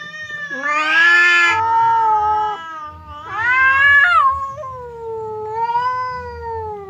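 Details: Fierce cat Temon confronting quiet cat Lelo through a partition, fight averted; continuous yowling with several swelling, wavering howls, one harsh and raspy, others smoother and falling in pitch.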